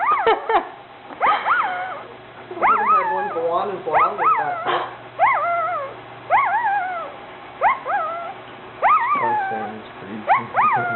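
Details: New puppy whining and yipping over and over, roughly one cry every second or so, each a short rising-falling squeal, while a person talks softly to it in the background.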